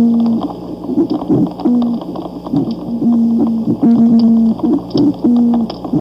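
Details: An oyster toadfish at Buttonwood Park Zoo gives low, humming, foghorn-like hoots, each under half a second, repeated about every second.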